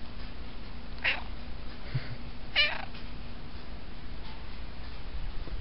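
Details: Resting in a pot, a cat utters two short, chirpy meows about one and a half seconds apart, then falls quiet against a faint low hum.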